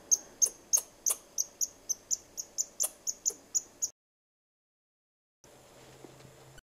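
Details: A squirrel chirping at the person filming: a quick series of sharp, high chirps for about four seconds, then a break in the sound and a short stretch of soft background noise.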